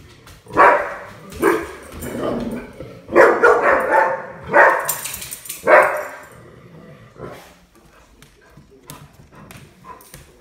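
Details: Puppy at play giving a run of short, sharp barks and yips, five or six bursts in the first six seconds, then quieter scuffling and soft noises.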